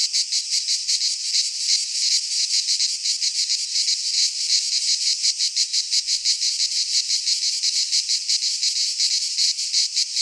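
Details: In a Greek pine forest in midsummer, many cicadas drone together in a high, grating, evenly pulsing buzz that never pauses; nothing else is heard.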